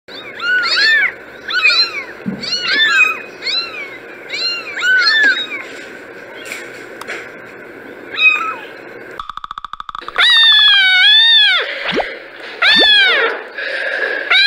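Kittens give high, thin mews in quick succession, each note rising then falling away.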